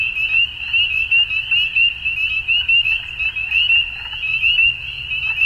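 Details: Frog chorus at dusk: densely layered, high, rapidly pulsed croaking with irregular louder swells a little over once per second, softer chirps mixed in, and a low rumbling background.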